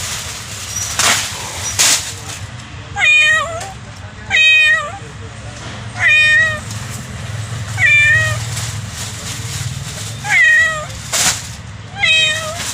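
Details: Kitten, a domestic cat, giving a series of short, high, slightly rising meows, about seven spaced one to two seconds apart, with low background rumble and a couple of sharp knocks.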